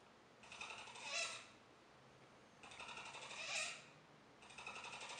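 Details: Capybara Joejoe indoors makes two clattering purr-like bursts of fast clicks, each peaking in a short squeaky whine, with a third rattle starting at the close.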